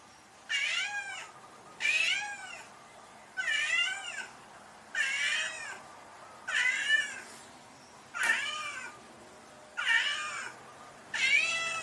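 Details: Domestic cat meowing: eight loud, drawn-out meows, each arching up then down in pitch with rich harmonics, repeated about every one and a half seconds over a quiet background.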